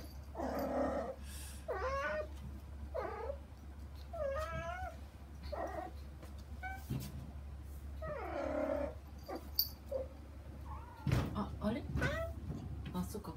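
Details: Young kittens Saba and Kagishippo crying for their mother Hana behind frosted glass; repeated wavering meows every one to two seconds, some long and strained, with occasional knocks and rustles over a steady low hum.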